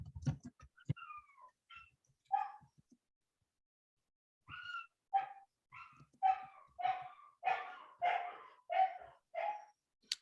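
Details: A German Shepherd puppy kept in its kennel indoors. It gives a few sharp yips, then after a pause a run of about ten whiny, rising-and-falling barks about half a second apart.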